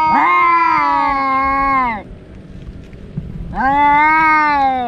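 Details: Two fighting domestic cats, brothers that quarrel daily, let out a long steady yowl that drops at its end, a quieter pause, then another rising drawn-out wail.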